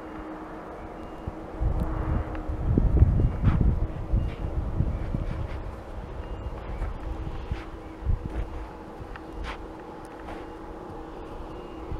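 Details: Low rumbling wind and vehicle-like noise with a faint steady hum, and no animal voice.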